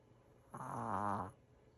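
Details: Five-year-old Maltese named Kira asleep and snoring, tired out after being chased around by another dog; a single drawn-out, buzzy rasping breath lasting under a second in a quiet room.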